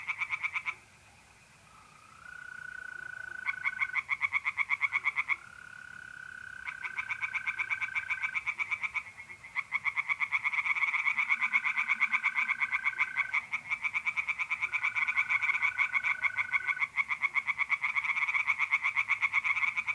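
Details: Tree frogs calling from a pond on an April night in north-east Italy, bursts of fast pulsed croaking alternating with mole crickets' long, level, tonal trills, the frog rattle building to near-continuous by the end.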